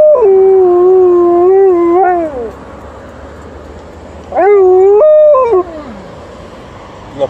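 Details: Alaskan Malamute howling in response to a passing ambulance and then a police car: long, tonal howls that hold steady then slide downward, a pause, then a rising howl breaking into a falling wail; a person speaks briefly.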